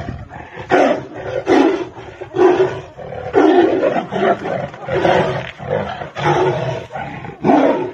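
Tigers fighting, trading harsh, rasping roars and snarls in quick bursts.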